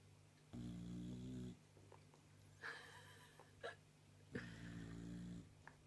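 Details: A sleeping pet bulldog snores indoors: two long, low, rumbling snores of about a second each, deep and buzzy with layered harmonics, separated by a quiet pause with a few small clicks and sniffs.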